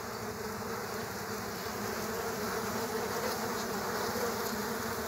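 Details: Dense buzzing of killer hornets fighting bees at an underground nest: a steady humming drone with a rapid flutter and slight swells in loudness over a few seconds.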